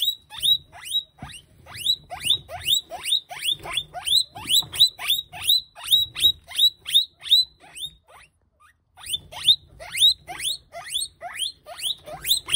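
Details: Guinea pig thrown to a monitor lizard gives rapid shrill squeals, high whistles sliding downward, about three each second, with a short pause midway.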